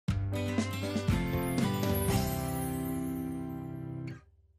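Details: Plucked acoustic guitar notes ring out and fade after about four seconds into near silence, with no animal voice.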